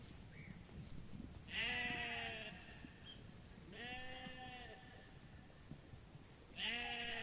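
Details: Sheep bleating while grazing in a meadow; three drawn-out, quavering bleats, each about a second long and spaced roughly two seconds apart, with a soft rustling background.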